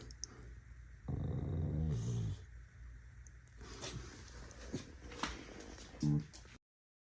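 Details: A corgi gives a low, rumbling growl with a brief sharper grumble at the end, an angry corgi, recorded 28 January 2026.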